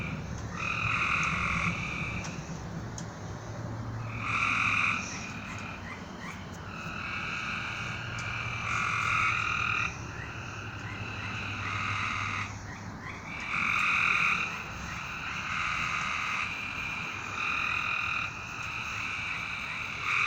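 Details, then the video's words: Night chorus of frogs: repeated buzzy trills, one to two seconds long, overlap and answer each other for twenty seconds. A faint low hum sounds in the background. "A Strange Night Sound? And Frogs!"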